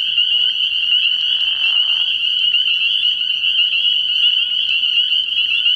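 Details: At a frog pond at night early in the year, spring peepers in full chorus produce a dense, shrill high peeping that never pauses, overlapping voices blending into one bright drone.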